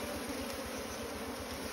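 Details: Asian honey bees (Apis cerana), small bees with a nest inside straw, disturbed as their honey is cut out; a steady, even droning hum with a low buzzing tone throughout, no voices heard.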